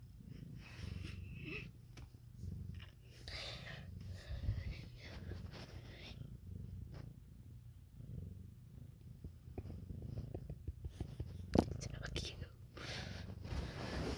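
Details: Indoor domestic cat purring, with a Siamese and a calico cat that have had kittens; continuous low rumble beneath frequent whispered talking, rustling and a sharp click near the end.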